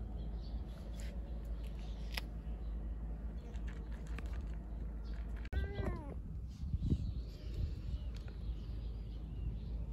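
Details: Stray female calico cat trying to carry her Kalkan cat food outside gives a single short meow with stacked harmonics, rising then falling, midway through, over a steady low rumble and scattered soft clicks.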